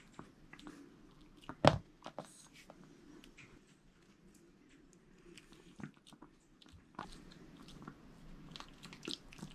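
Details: Jamong, a male Maltese born December 2015 in Gwangju, eating a whole sweet potato indoors; sparse soft crunches and bites with one loud sharp snap near the start, quiet room between chews.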